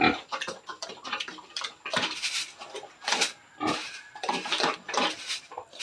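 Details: Sow at 112 days of gestation, close to farrowing, on a farm: a rapid run of short, harsh grunts and snorts, with clattering noises from the pen throughout.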